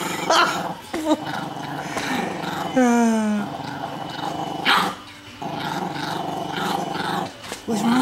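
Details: Two-year-old, four-pound Chihuahua guarding a T-bone steak bone and intimidating a fawn Doberman, growling steadily; a sharp rising whine or yelp stands out near three seconds, with human speech and music around.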